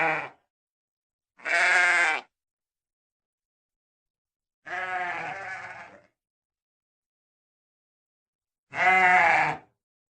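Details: Sheep bleating in four wavering, somewhat rough calls a few seconds apart, one drawn out and fading, the others short and loud, with silence between.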